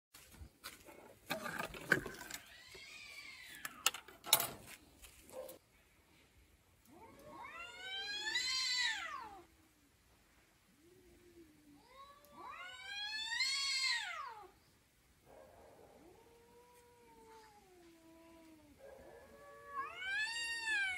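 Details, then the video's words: Domestic cat talking in a series of long, harmonic meows that rise and fall, some loud and drawn out, others softer and lower, with clattering noises in the first few seconds. "Cat talk"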